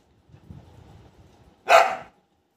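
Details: One loud, abrupt bark from a pet Golden Retriever follows a low background murmur, then quiet returns.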